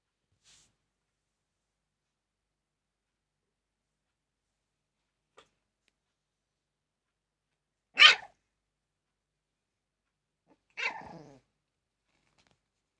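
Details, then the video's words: American Bully puppy playing with a cushion gives two short, sharp barks about three seconds apart, the second trailing off slightly. Long quiet stretches and a faint tap surround them. "American Bully Pup Barking"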